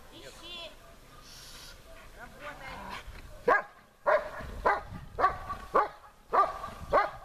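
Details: German Shepherd barking at the helper during protection training, searching for him under more difficult conditions; quiet opening, then a steady series of loud, harsh barks about every half second to second.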